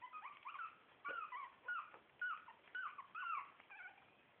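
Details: Shih Tzu puppies from litter A, four weeks old, giving high whimpering whines: about seven short rising-then-falling squeals in quick succession over four seconds, with brief pauses between bursts.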